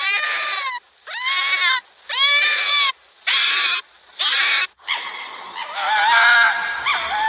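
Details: Fox in its natural habitat giving five loud, harsh screaming calls. Each lasts under a second and arches up then down with strong harmonics, separated by short pauses, before a longer wavering call at the end.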